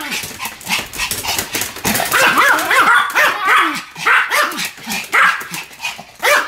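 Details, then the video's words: A pair of Pomeranians bark in a duet, sharp yips overlapping at about three to four per second, some barks bending upward into short whiny wavers. The barking grows louder and denser toward the middle. "犬の鳴き声 ポメラニアン"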